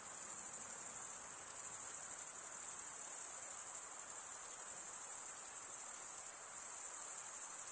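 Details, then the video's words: Male crickets chirp by running one wing across the comb-like teeth of the other; here a continuous high, buzzing trill carries on steadily, with a brief slight dip in loudness midway. "Most relaxing cricket sound for 8 hours"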